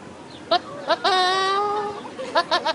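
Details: Goat (Capra hircus), bleat.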